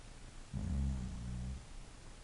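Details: English bulldog giving one deep, rough snore lasting about a second, low and rattling, over a faint steady hum.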